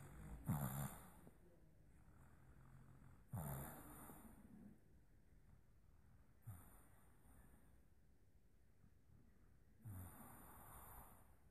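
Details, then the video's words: Boston Terrier puppy dreaming in its sleep, giving short soft snorting breaths roughly every three seconds, with quiet breathing between them and no other sounds. "Dreaming Boston Terrier puppy"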